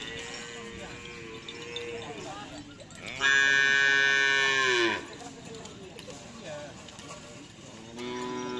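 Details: Cattle, many of them young, training for karapan sapi bull racing on a field in Asemanis, Pamekasan, Indonesia; a drawn-out low moo, then a loud, strongly harmonic bellow, with another call starting at the end and people talking.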